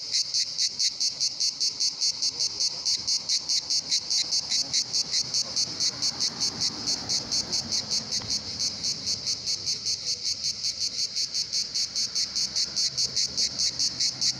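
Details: A cicada sings a loud, high, buzzy drone pulsing steadily about two or three times a second at the Pitsunda resort, Abkhazia, where many cicadas sing in summer.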